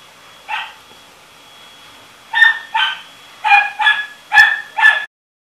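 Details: One lone bark from a dog, then after a pause a run of six quick, yappy barks in pairs and threes, fairly high and bright, against quiet surroundings.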